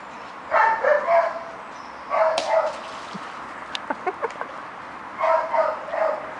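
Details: Foxhounds in a garden giving three bursts of short, high, tonal yelping barks, each burst a quick run of four or five notes, separated by pauses with a few faint clicks and knocks.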